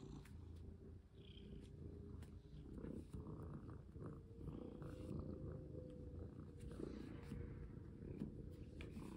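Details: Pet cat indoors being played with and handled as a collar is fitted; continuous low rumbling purr runs the whole time under scattered taps, rustles and brief handling noises.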